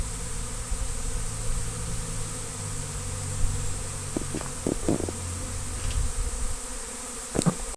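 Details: Honey bees of a big swarm being collected in Destin: a dense, steady drone with harmonic layers, overlaid in the second half by sharp clicks and handling knocks.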